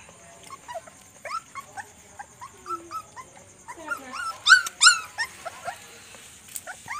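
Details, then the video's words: Puppies quarrelling and playing at night: a busy stream of short, high whining yelps and squeals, each bending up then down, scattered then rising to a louder cluster of sharp cries midway before easing into softer whimpers. "Puppies quarrel and play at night"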